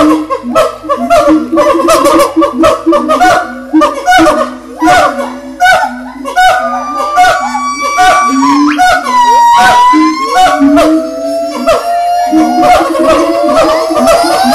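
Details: Monkey calls: overlapping harsh, honking cries in quick bursts, with drawn-out tonal whoops that rise and fall in pitch, loud and busy throughout.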